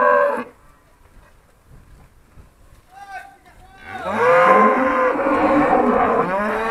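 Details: Trained Charolais cows recorded in 2017 while being called by their owner: near silence with faint sounds for several seconds, then a loud, long harmonic moo filling the final three seconds.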